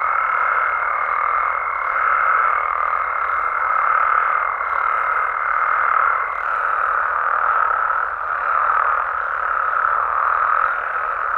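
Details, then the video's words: Many frogs calling together at night in Mexico, a thick continuous buzzing chorus that swells and dips slightly, with a level, sustained higher tone over the first half. "Mexican Frogs & Toads Sounds"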